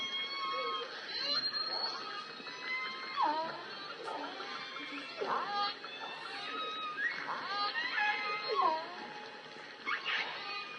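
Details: A big group of endangered southern resident killer whales in the Salish Sea call together. Their harmonic squeals sweep up and down and overlap in bursts every second or two over a steady background hiss.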